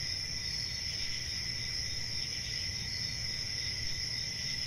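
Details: A chorus of crickets trilling continuously at a high pitch, with a quieter lower tone running alongside and faint low background rumble, level and unchanging.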